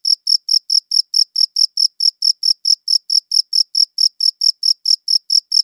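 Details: High, clear cricket chirps in a regular rhythm of about four pulses per second, each short and ringing, heard alone in silence.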